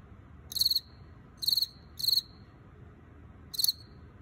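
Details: Male Teleogryllus field cricket, wild-caught, possibly T. occipitalis, chirping from an earthenware jar; four short ringing chirps, two close together, with pauses between, against quiet background.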